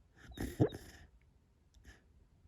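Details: A sleeping Labrador makes soft, bubbly snorting puffs through its nose and mouth; the owner suspects she is having a great dream.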